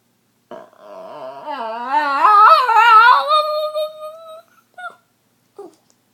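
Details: Female Boston Terrier pet making a weird drawn-out noise: a nasal, quavering whine that wobbles up and down in pitch, swells louder in the middle, then fades, followed by a couple of faint short squeaks.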